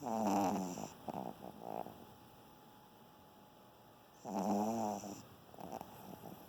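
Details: Sleeping Pomeranian (German Spitz) named Bonnie, giving two raspy, buzzing snore bursts about four seconds apart, each under a second long, separated by near silence.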